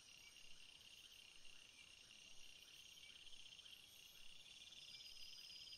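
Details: At night, crickets keep up a steady, piercing high trill in several overlapping layers. Soft, lower, evenly spaced pulses repeat about once a second beneath the insect drone.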